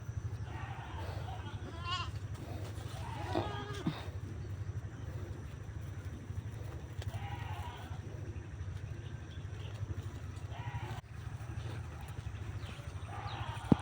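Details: Goats herded to pasture on a neighbouring unplanted field in the Philippines give several short harmonic bleats, clustered around the second to fourth seconds and again near the end, over a steady low engine-like rumble.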